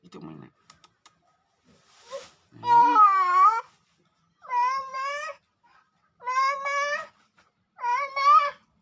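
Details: Cute black cat at play indoors, giving four drawn-out, wavering meows about a second each, spaced roughly 1.5 seconds apart, the first starting low and rising; a brief faint human sound opens the recording.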